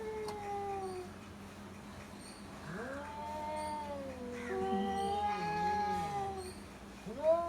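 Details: Two domestic cats in Bangladesh in a standoff, a house cat facing the neighbour's cat. Long, wavering, moaning yowls rise and fall and overlap in a drawn-out duel, over a constant low hum.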